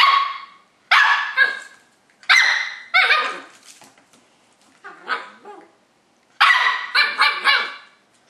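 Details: Nadia, a 5-month-old Löwchen puppy, barking while trying to convince Tigger the cat to play: high, sharp yappy barks in quick bursts, about a dozen over eight seconds, with short pauses between runs.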